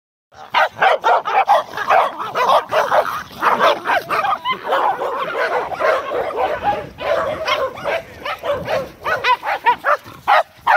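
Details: Group of Corgis playing together, recorded 12 November 2017: a rapid, overlapping stream of yapping barks and throaty growling yips, almost continuous after the first half second, with several dogs calling over one another.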